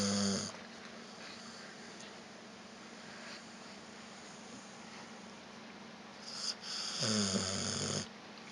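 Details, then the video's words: Pet dog Vita asleep after a walk, snoring with soft noisy exhalations at the start and again near the end, a long quiet stretch between, as a second dog, Evchik, licks its paws in the background. "Вита храпит"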